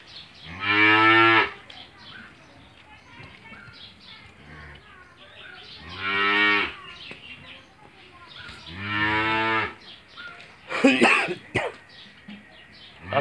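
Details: Australian-breed cow, six teeth old and in her second calving, kept with her one-day-old male calf on a Bangladeshi farm; three drawn-out harmonic moos spaced several seconds apart, with a brief clattering knock and background farm noise.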